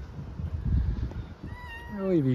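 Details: Stray kitten living with its family in a truck bed in Istanbul gives a drawn-out meow, sliding down in pitch over about a second, after low murmured Turkish speech and background rumble.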